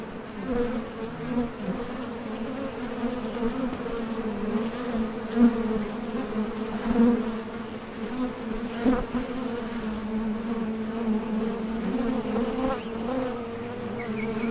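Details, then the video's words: Foraging honey bees leaving and landing at a Top Bar Hive entrance in search of nectar; continuous buzzing drone from vibrating flight muscles, with a rich low hum and brief louder passes of individual bees. "HONEY BEES Sound Effect #MasonJar | BEES BUZZING"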